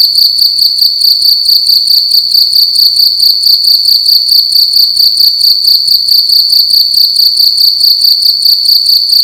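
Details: In a room at night, a cricket sings loudly with a sharp, high continuous trill that throbs in regular quick pulses, steady from start to end, faint low hum underneath.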